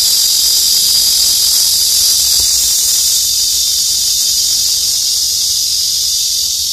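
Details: A cicada in summer, hidden among green leaves on tree branches, gives a steady, high, hissing drone that barely wavers from start to finish.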